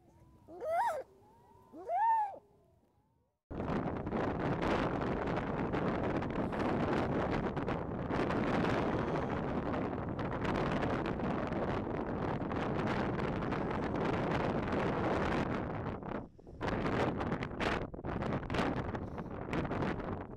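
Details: During a snowstorm, a harp seal pup that is having a very hard time gives two drawn-out, wavering wails before strong wind roars over everything.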